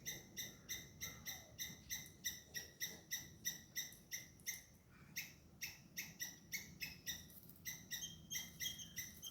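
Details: Squirrel shouting at a cat that is chasing it, caught on a hidden camera; sharp, clipped chips repeated about three times a second in a steady, insistent series, with a faint low rumble underneath.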